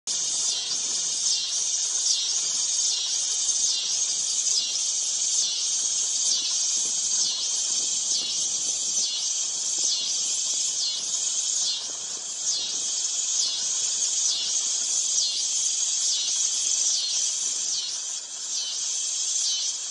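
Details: Dog-day cicada (Neotibicen canicularis) singing a loud, high, buzzy drone that pulses steadily about every three-quarters of a second across the whole stretch, with no other clear sounds.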